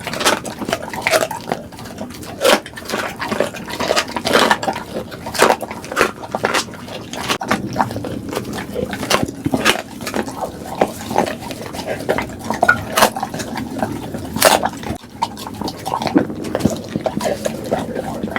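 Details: Duggee and Vivi, two pit bulls, chewing their food for relaxing ASMR: steady wet mouth noises and soft crunches, punctuated by sharper clicks of teeth, ongoing without pause.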